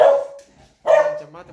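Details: Beagle indoors greeting its returning owner, wagging its hindquarters: two short, high barks with whiny tails, separated by a brief pause, in a small room.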